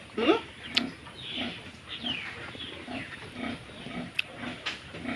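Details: Duroc pig giving short, low grunts repeated roughly every half second, with a brief higher squeal near the start and a few sharp clicks and knocks in the background.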